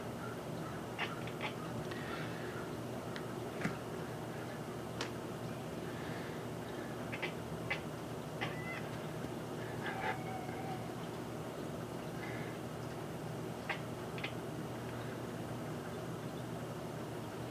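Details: A cat named Kiki, gazing through the window at a bird visiting the feeder, gives a scattered series of tiny, sharp chattering clicks and chirps, isolated or in pairs, against a quiet droning background.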